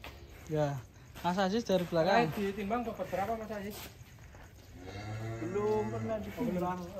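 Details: A huge fattened cow, coming out of its pen, gives a low, drawn-out moo toward the end, while men talk loudly and excitedly over it throughout.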